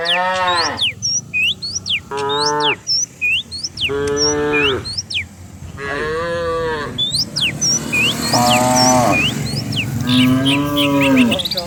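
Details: Morning herd of cows running down a rural hillside; a series of rich harmonic lows, one after another, with chirping birds overhead and a steady rumble underneath.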